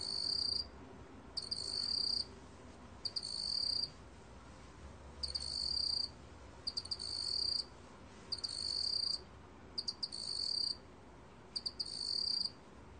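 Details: Seven high-pitched trilled chirps from a meok-gwitturami cricket, 2020 National Institute of Biological Resources recording in Korea, each under a second and led by quick ticking pulses, spaced evenly about every two seconds against low background noise.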